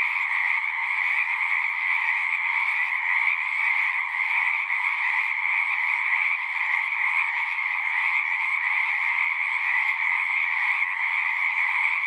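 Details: At a pond in a horse pasture, frogs fill the air with a thick, steady chorus of trilling calls, high and mid-pitched layers running on without pause; recorded using a Zoom 6.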